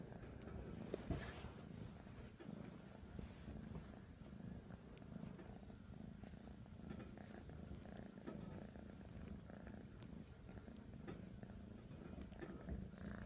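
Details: Purring black kitten kneading a pillow indoors; a steady, low, even rumble with rapid pulses runs throughout, with a few light scratchy rustles of bedding.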